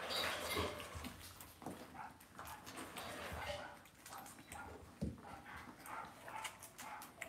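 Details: Cavalier King Charles Spaniel puppies raised indoors in a home puppy pen, heard as thin, high whimpers and squeaks in short bursts, mixed with steady rustling, shuffling and scratching from the litter moving about.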